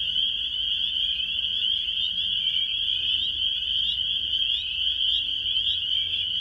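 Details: A dense frog chorus in early April in New York State, USA, with countless high shrill peeps merging into a steady ringing wall of sound.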